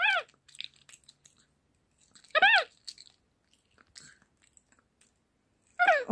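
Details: Alexa, a pet capuchin monkey at home being fed at the table, gives sharp descending squeaks spaced a few seconds apart, with faint clicks and chewing-like noises between them.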